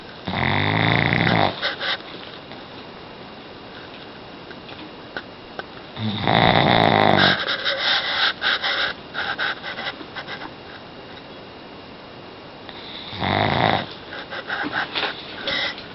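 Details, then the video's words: Omar the pug sleeping and dreaming indoors: loud wheezy snores in long bursts around the start, middle and end, with a quieter rasping breath running between them. "ADORABLE Pug Dog SNORING & DREAMING"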